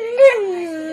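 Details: A pet dog "talking" back to its owner, who coaxes it to say I love you: a short tonal whine that rises slightly, peaks with a brief louder accent, then glides smoothly downward and holds steady.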